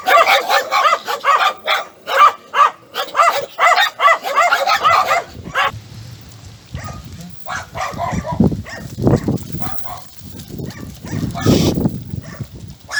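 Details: Chained dogs barking so much that talking is impossible, a fast run of sharp, rapid barks for about five seconds, then scattered barks mixed with a man's voice and handling noise.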